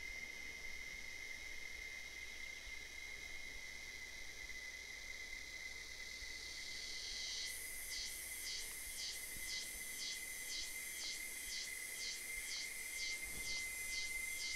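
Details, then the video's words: Cicadas singing their mating song in the late afternoon in the Caatinga of the sertão, Bahia, Brazil: a steady high hiss, then loud rhythmic buzzy pulses about twice a second, over a thin constant tone. "Cigarra Cantando"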